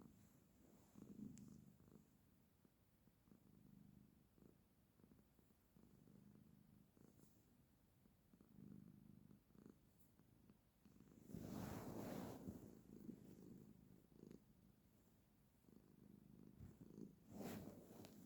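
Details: Domestic female cat purring while sitting with her owner indoors, a soft low rumbling purr in rhythmic swells about every two to three seconds, with a few brief louder rustles or snorts near the close.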